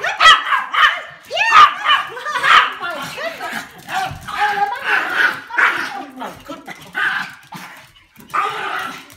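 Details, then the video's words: Three Pomeranian puppies greet their owner returning home from work, excited and jumping; rapid high yips and whines come in bursts, mixed with a person's voice. "Pomeranian puppy waiting for owner to come home"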